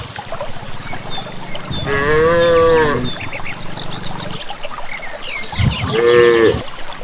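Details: Cattle in a group walking calmly unguided toward a green valley pasture in village countryside; two harmonic moos, a long one near two seconds and a shorter one near six seconds, over low rumbling and rustling footsteps.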